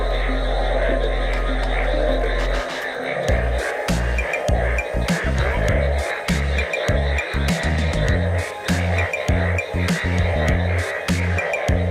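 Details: Electronic music with a heavy pulsing bass fills the recording, and no animal voice stands out. A faint hum runs beneath the beat.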